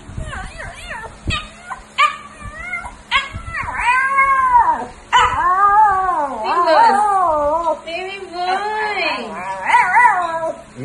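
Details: Maltese dog wanting to eat at the table, crying with long wavering, rising and falling whines and yelps, while its owner talks to it, telling it to cry and asking if it is hungry.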